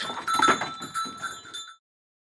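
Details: Goat at a breeding session where a large red Boer buck is crossed with a big Jamunapari doe: a short, wavering, nasal bleat over about a second, with steady ringing bell-like tones throughout, cutting off abruptly into silence.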